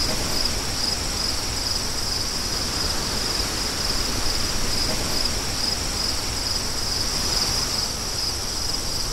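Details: Crickets singing a steady, shrill high-pitched trill that runs unbroken under a constant rushing wind, with faint pulsing in the chorus throughout.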